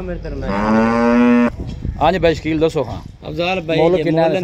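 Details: A Friesian Cholistani cross cow for sale in Pakistan, recorded 9 March 2024, lets out a single sustained, evenly pitched moo of about one second, followed by a man speaking.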